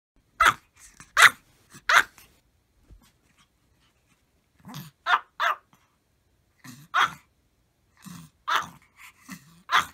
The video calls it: マルチーズ 犬 鳴き声 みんなで全力で吠える！Funny Dog Maltese Bark